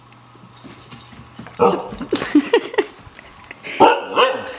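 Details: A white female Siberian Husky playing hide and seek gives a run of short, yodelling, rise-and-fall vocal bursts, announcing she has found her owner.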